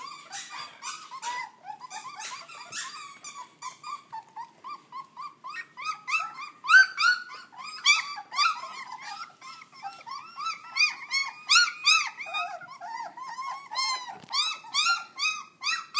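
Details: Very young puppies, not yet three weeks old, keep up a noisy stream of squeaky whimpers and shrill wavering cries, irregular and overlapping, several voices at once, growing louder and more insistent in the second half.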